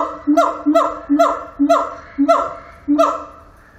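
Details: At Zoo Antwerpen a siamang sings six loud, rich harmonic notes, each a short low hoot sweeping up into a sharper bark, spaced roughly half a second apart.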